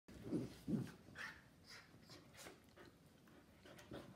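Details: Mini schnauzer Gio and his little brother, a giant schnauzer named Kylo, playing together: two short, low gruff bursts in quick succession near the start, then only faint rustling and soft background noise.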